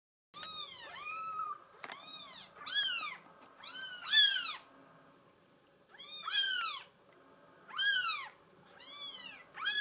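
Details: Female mink solid Bengal kitten meowing repeatedly: bright, arched, harmonic-rich calls that rise then fall, coming in clusters of two or three with short pauses, about sixteen a minute, in a quiet room.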